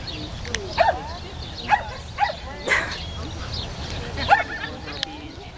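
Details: LaMesa, a 16-month-old female Swedish Vallhund meeting sheep for the first time at a stockdog herding instinct test in Evendale, Ohio, April 9, 2011; about five sharp, short barks spaced irregularly over five seconds, with people talking nearby.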